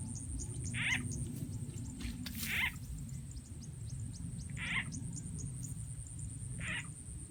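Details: Croaking of frogs in rural Rizal N.E., heard while they are caught by playing a frog sound effect. Four brief, punchy calls are spaced about two seconds apart, with a low steady hum and faint ticking beneath.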